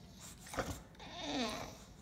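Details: Bulldog Bennett indoors, refusing his own meal and crying for the new kitty food that Pippa is trying: a drawn-out, wavering whine that falls slightly in pitch, with a woman talking to him.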